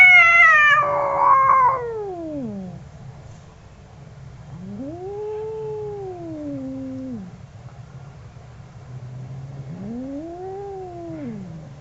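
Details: Two angry cats trading long, drawn-out yowls: a loud falling wail first, then two rising-and-falling moans a few seconds apart, with a low background hum.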